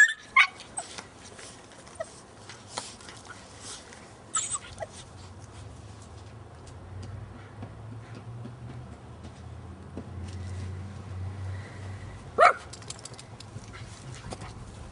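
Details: Alaskan Malamute puppies Nico, 5½ months, and his 9-week-old sister Rexy scrapping in play; sparse sharp yelps and squeaks, a loud burst near twelve seconds, with a low rumbling hum and rustling between.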